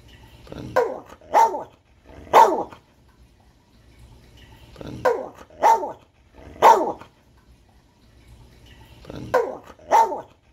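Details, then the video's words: A Catahoula dog, described as a talking dog, barking in three sets of short, sharp barks, each set of two to three barks spaced about four seconds apart, with quiet gaps between. "Barking Dogs"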